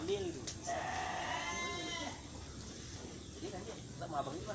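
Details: Etawa goat at Aceh Tamiang, kept for milk, giving one steady, nasal bleat with rich harmonics held for about a second and a half, while people talk nearby against a rural background.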